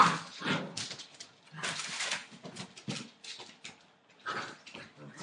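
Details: Entlebucher Mountain Dog puppies, eight weeks old, from a litter born 28 December 2013, making dense overlapping whimpers and small yapping noises, with a broad scratchy shuffling in between.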